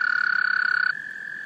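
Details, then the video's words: Male American toads in a small pond give steady, high musical trills to call in females during breeding in March, in Laurens County, South Carolina, USA. "American toads, Breeding behavior"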